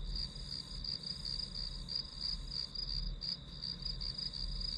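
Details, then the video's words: Grass insects filling a study-session soundscape: a dense, shrill series of quick high chirps, about three per second, riding on a continuous high tone, with low hum below and nothing else prominent. "풀벌레 소리"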